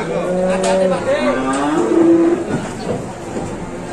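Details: Aggressive cow being unloaded in Indonesia, giving a drawn-out, steady-pitched moo that bends downward midway and trails off, with people talking and shouting around it.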